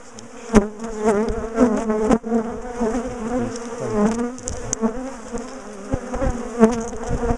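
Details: Bees from a large top bar hive colony, ambushing and chasing people in the garden, being split and relocated; thick layered humming of many insects, rising and falling, with brief clicks and a knock.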